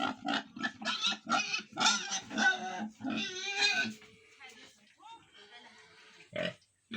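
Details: Ten-day-old piglets at a farm in Tripura giving rapid, harsh, pulsing squeals in quick succession for several seconds, then quieter grunts and a final sharp squeal.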